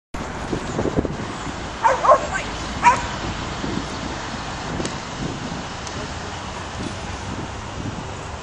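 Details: Young caramel-coloured Australian Shepherd herding sheep outdoors; a few short sharp barks around the two- and three-second marks, then steady wind and background rumble with no further calls.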